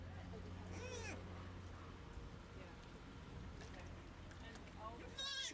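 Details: Joey, a baby sea otter in rescue care, growing comfortable in the water while making first attempts at swimming and diving, gives two high, harmonic squeals, one near the start and one at the end, over low steady hum and water noise.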